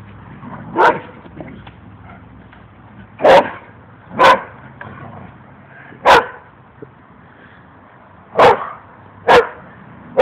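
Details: Two dogs at play, with one giving single sharp barks at uneven intervals, roughly seven over ten seconds, each brief and punchy against a low, steady background hum.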